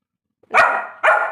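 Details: Labrador giving two loud, drawn-out barks in quick succession, each bright and slightly hoarse, against silence.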